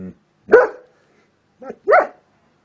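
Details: A dog reacting to various sounds lets out two loud, short barks, each a single rising-then-falling woof, roughly a second and a half apart in a quiet room.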